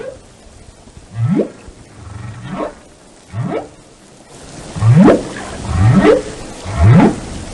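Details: Repeated rising upsweeps from a whale, roughly one per second, growing louder and brighter in the second half, with faint overtones above each swoop and a background hiss.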